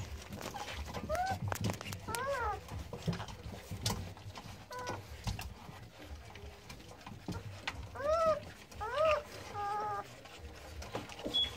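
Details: Newborn American Staffordshire Terrier puppies, born 9-6-17, give high, thin whimpering squeals, each rising then falling, in scattered bursts near the start and again toward the end, over soft rustling and low background noise.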